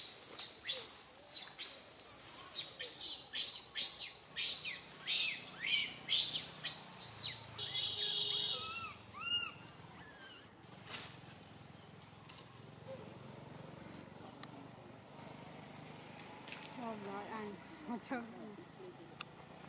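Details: Little monkey Santo crying on a tree branch, too loud for mother Sara to care for him: a rapid series of shrill, piercing screams in the first seconds, then scattered arched wails fading into quieter background sounds.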